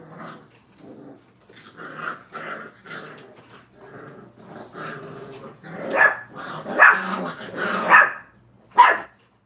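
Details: Five-week-old Brittany puppies being crate trained in a kennel give a run of repeated high yips and barks, about seventy a minute, growing louder and more urgent toward the end, mixed with brief growls.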